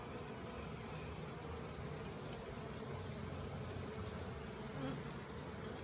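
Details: Captured swarm of honey bees entering their hive produces an even, thick buzzing drone that fills the whole stretch without pause or rise.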